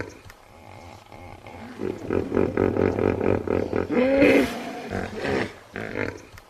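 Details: A quiet start leads into a hippo's rhythmic series of deep, pulsed grunts, about four per second. It ends in a louder rising honk and a few trailing grunts.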